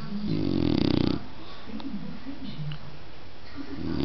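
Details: Dog snoring indoors: one long, loud, rasping inhaled snore lasting about a second, followed by softer low wavering murmurs in a quiet small room.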